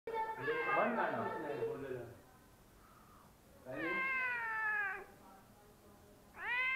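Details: Cat sitting on top of a fridge indoors; a muffled mix of voices and sound in the first two seconds, then a long, clear, drawn-out meow, with a second meow starting just before the end.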